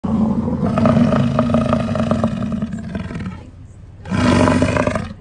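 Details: American bison (Bison bison), bellow.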